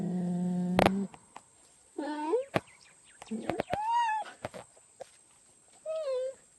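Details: Cheetah giving a run of short tonal calls, some rising and some arched, with sharp clicks and a loud knock in between.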